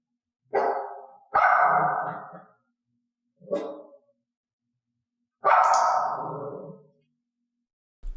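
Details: Barks from a dog being clicker-trained to bark only when cued, with offered barks left unrewarded. Four separate harsh barks, the second and fourth longer and drawn out, with quiet gaps between.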